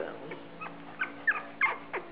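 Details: Australian Shepherd puppies squeaking at feeding time, September 12, 2010: short, thin, falling squeals, four or five in two seconds, over a soft background hum.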